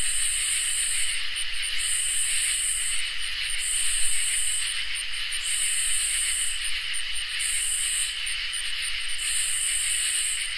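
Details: Crickets and katydids singing together on a summer night: a steady high shrill hum underlies loud, very high buzzing bursts about a second long, each broken by short pauses, repeating through the recording.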